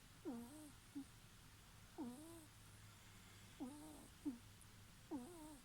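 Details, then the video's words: Snoring from a ferret: wheezy falling squeaks with a drawn-out tail, each breath giving one or two notes about every one and a half seconds in a quiet room. "いびきをかくフェレット Snoring ferret"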